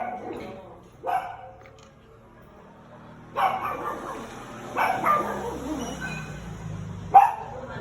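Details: A female Shih Tzu gives a few short, sharp barks, spaced unevenly, while people talk nearby; she howls and barks whenever she hears other dogs barking.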